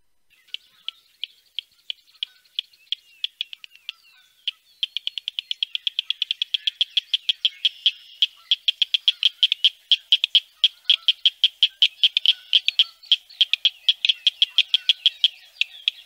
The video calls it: Northern Cricket Frog Song